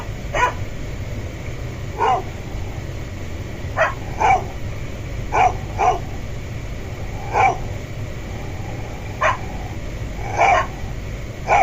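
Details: Dog barking at a door to communicate with its owner and gain entry, giving single and paired barks at uneven gaps of one to two seconds, with a steady low hum behind.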